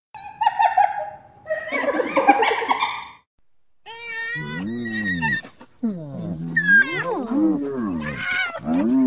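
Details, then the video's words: Hyena giving a run of varied harmonic calls: a steady tone, a harsh burst, then wavering, bending cries rising and falling in pitch, with a short silent gap midway. "Odgłosy hieny, wycie hieny, hiena na wideo, dźwięki hieny - dźwięki zwierząt The Sound a Hyena Makes"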